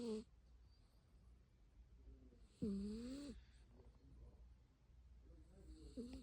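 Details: A domestic cat named Byeol-i, asleep at home, snores: a loud whistling, nasal breath with a slight rise that lasts under a second, a shorter one at the start, and a softer one near the end, over a low, quiet room hum.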